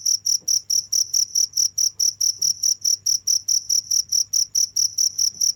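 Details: Cricket calling without stopping, a bright, thin pulse repeated regularly about four times per second, each pulse clean and high, over quiet background hum.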